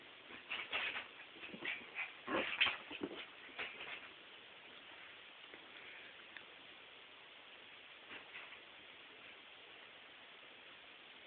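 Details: Evie, a tiny white dog, dashes around a bedroom while a hairdryer runs. Over its steady hiss come clustered high yips and whimpers in the first four seconds, then a single faint yelp near eight seconds.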